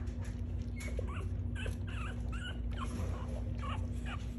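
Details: Seven-day-old French Bulldog puppies nursing milk together as a litter, giving thin, high squeaky whimpers in quick succession over a steady low hum.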